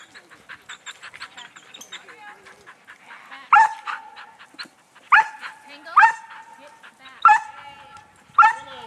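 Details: Tango, a dog practising herding, gives five loud, sharp barks in the second half, roughly one to one and a half seconds apart, after softer rapid repeated calls and a voice in the first three seconds.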